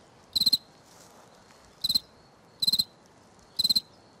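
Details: Close cricket on the right bank sounding four sharp, high chirps, each a trill of three or four fast pulses, separated by pauses of about a second.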